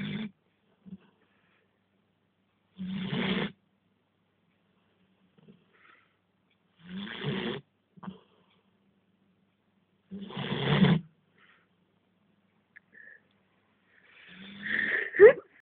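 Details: Sleeping dog snoring in slow, irregular breaths. Four rasping, throaty snores come several seconds apart, followed by a softer, higher rising sound at the end. Otherwise quiet.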